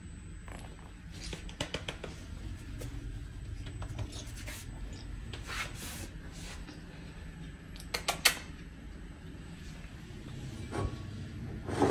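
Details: Only scattered clicks, taps and a low indoor hum are heard, with no animal voice. A few sharp knocks stand out near the middle and end.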